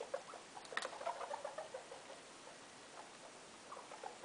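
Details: Loeki, a pet guinea pig housed in a room with her three youngsters: quick burst of rapid stuttering chuts, about three per second, opening with a sharp click, then fading to a few faint pulses.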